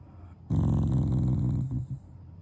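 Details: Shiba Inu named Taiga growling while lying down, a show of affection rather than anger; a low, rumbling, steady growl with harmonic buzz lasting about one and a half seconds, then fading.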